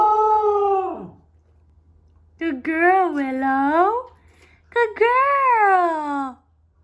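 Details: A grown-up female Pembroke Welsh Corgi, a howler since puppyhood, gives three drawn-out, wavering awoo howls, each bending down in pitch.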